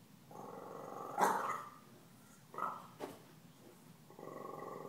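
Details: Puppy Stella growls steadily at Gomez, a deaf cat taunting her, breaks into one loud bark, then a brief yelp. Low growling resumes at the close.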